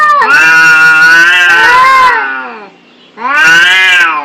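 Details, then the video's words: Angry cats in a fight, a long strained howl bending up and down, cut by a near-silent pause before another loud harmonic wail. "Suara kucing berantem"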